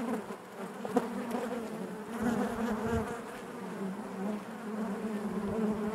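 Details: Steady drone of honey bees in the hive, a rich layered hum with several overtone bands, individual bees wavering louder and softer across six seconds.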